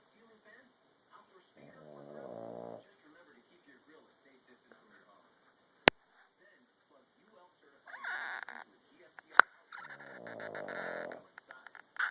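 A Boston Terrier snores in slow, rasping, buzzy breaths several seconds apart.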